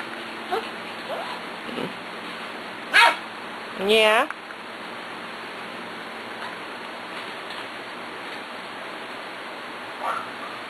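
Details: Six-week-old puppies, Cat, Kobe and a little girl from the Ellie and Little Man litter, play with Beauty; two short rising, harmonic yelps about a second apart near the middle, with faint squeaks and indoor noise between.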